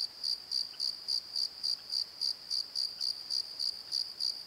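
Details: Night cricket chorus from a valley bottom, a clean high-pitched chirp pulsing regularly about three and a half times per second, nothing else prominent.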